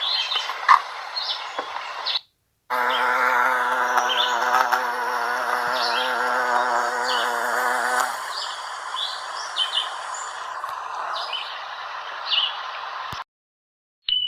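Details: American bumblebee (Bombus pensylvanicus) pollinating Salvia clevelandii flowers: a steady, low droning buzz with rich harmonics lasting about five seconds, then fading into a softer hum, while small birds chirp repeatedly in the background.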